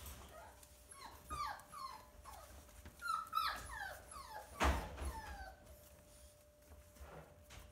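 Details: Six-sibling Siberian Husky puppies, born 30 January 2020 at a breeder's in Hamamatsu, Japan, whimper and yip in overlapping, rising squeals while jostling to nurse, one late pup climbing over the others' heads.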